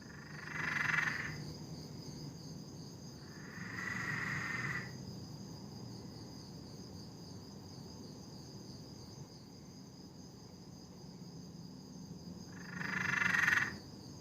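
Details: Peron's tree frog calling at night in a Sydney, Australia backyard: three separate drawn-out rattling trills, each about a second long, spaced several seconds apart over a steady background hum.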